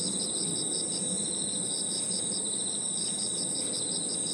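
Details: Crickets and other insects trill together in a steady, high-pitched evening chorus in a park.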